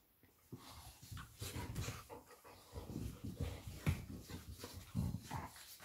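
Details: Playful Labrador Retriever pair, mother Lilly and puppy Molly: low grumbling growls mixed with quick panting breaths and scuffling, a steady run of short rough bursts after a quiet start.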